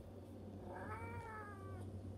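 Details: House cat trading meows with its owner in call and response, then running after them; a clear, harmonic, slightly falling meow of about a second, with steady low hum underneath.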